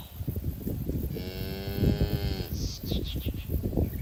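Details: A grazing cow in a herd on a green pasture gives one steady, level moo lasting over a second, with stacked harmonics, amid constant low thumping and rustling field noise.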